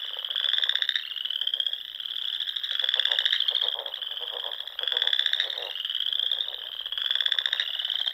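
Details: Pond frogs calling together at dusk in spring in the Sandhills dunes of Nebraska: repeated pulsed trills about every two seconds over a constant high-pitched chorus, no other sounds.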